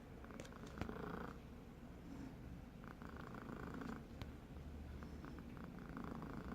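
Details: Pet cat snoring while asleep indoors: a low, steady rumbling drone with soft rasping breath bursts every two to three seconds.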